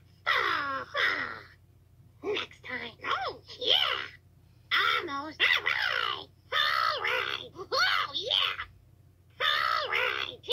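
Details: Toad, taken 2/10/2022, gives clustered shrill screams: short harmonic cries with sharp rising-then-falling sweeps, grouped in bursts with brief gaps, ending in longer wails; constant faint low hum.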